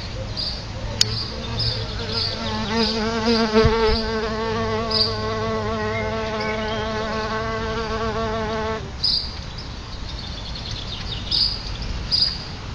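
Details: Solitary bees at a nest just outside the front door of a house: a steady, wavering droning buzz rises from about two seconds and stops sharply near nine seconds, with faint high chirps repeating in the background.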